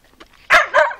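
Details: Vizsla dog giving two sharp, loud barks about a third of a second apart, the second slightly softer and trailing off, preceded by faint low background sounds.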